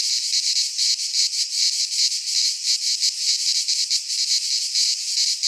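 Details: Shrill, grating cicada song filling a Greek pine forest in midsummer, a continuous wall of buzzing that swells and dips in fast pulses from overlapping singers.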